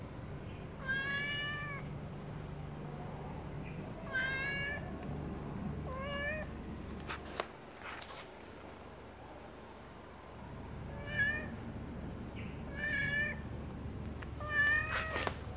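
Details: Domestic cat meowing while breakfast is being made, a series of harmonic, slightly rising-then-falling meows repeated every one to two seconds, with a few sharp clicks and clatter of kitchen sounds between calls and a low steady hum behind.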